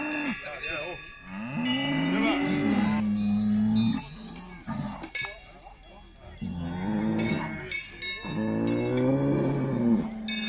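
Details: Salers cattle at a cattle show in Pleaux, Cantal, France, 13 August 2022; several long, deep moos with rising then level harmonic tones, one after another, over steady crowd murmur and clinking cowbells.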